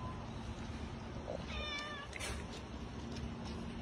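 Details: Cat meowing while stray cats and kittens are fed at home: a single brief, wavering, harmonic meow midway through, over steady broadband background noise with faint clicks.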